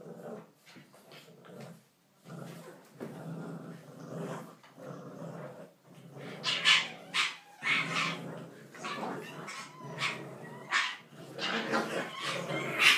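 English bulldog puppies growl, snort and yip in short bursts while playing.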